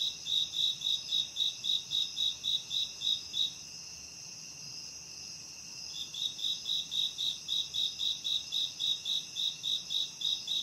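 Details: High, regular cricket chirping in a camping forest, quick pulses about four per second layered over a constant thin trill, with a short break of chirps midway.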